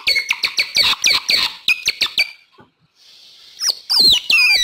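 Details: Otter voice used as a lure for wild otters: quick repeated chirps, each with a sharp downward bend, then a pause, a thin steady whine and a few loud sweeping squeals.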